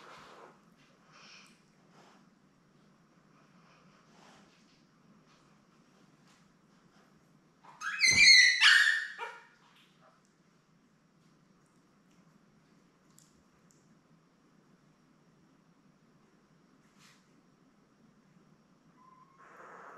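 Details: Labrador Retriever litter of seven newborn puppies with mother Belle, born May 24, 2021, on a live puppy cam on 3 June: mostly quiet room with faint soft sounds, broken once by a single loud, harsh squeal lasting over a second.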